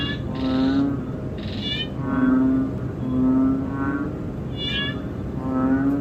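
A banded bullfrog gives deep, moaning, nasal notes, each about half a second long, repeated every second or two.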